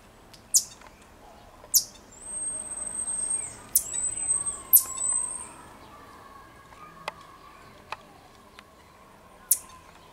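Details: Marmosets in Juiz de Fora, Minas Gerais, Brazil, give brief, piercing high chirps scattered through the clip, with a long, thin whistle held at a steady high pitch for several seconds over a fainter, lower hum.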